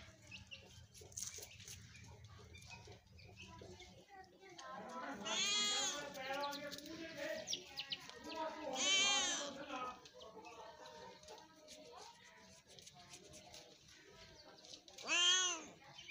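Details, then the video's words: Kitten giving a few drawn-out wavering meows, the loudest around the middle and a sharp final one near the end, with quiet low hum at the start. "Kitten 🐈 beautiful voice"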